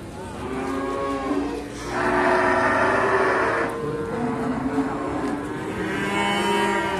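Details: Simmental calves at the Sukorejo animal market in Kendal, with long low moos and a louder drawn-out bellow in the middle, over steady crowd murmur and market noise.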